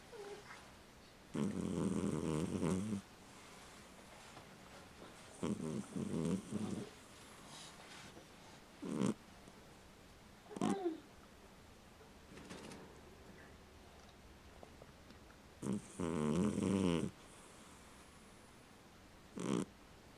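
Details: Sleeping pet cat snoring indoors: low, rough, buzzy bursts of one to two seconds, irregularly spaced with quiet gaps, some breaths louder and longer than others, no other clear sounds.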